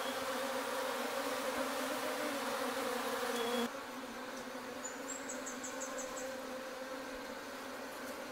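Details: Honey bees around a hive made from a rotten tree trunk in the forest: continuous low droning hum of a swarm, louder at first then slightly softer, with a brief high chirping bird in the background.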